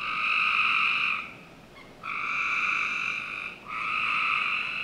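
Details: Backyard frogs on a summer night in Northern Virginia, heard as long buzzy trills separated by short quiet breaks, three calls across five seconds, a faint trace of another caller in the gap.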